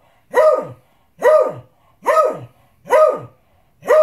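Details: Demanding his dinner, a Beagle gives four full, ringing barks spaced roughly eight-tenths of a second apart, each with a rich harmonic core that drops off at the end; quiet indoor room between barks.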